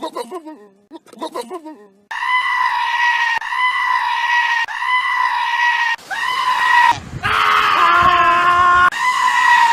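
A goat gives loud, drawn-out, almost human-sounding bleats and screams, with brief human voices at the start.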